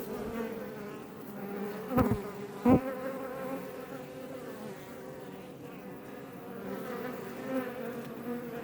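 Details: Honey bees of the Iberian subspecies around a Langstroth hive near Els Ports, west of Roquetes, Tarragona, Spain, heard close: constant low droning buzz of many insects, interrupted by two sharp knocks early on, then a smooth hum with passing bees.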